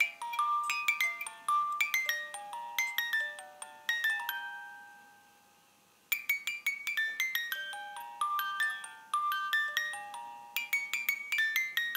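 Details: A bright music-box melody of plucked chiming notes plays in two phrases, separated by a fading pause, with no animal sound.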